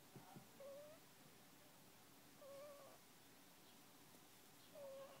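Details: Sleeping puppy, one month old, snoring: three faint, short, rising whistled squeaks, about two seconds apart, over low background hiss.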